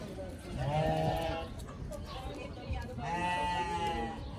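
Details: A pygmy goat kid, one of a group of baby goats playing outdoors, gives two quavering, nasal bleats, each about a second long.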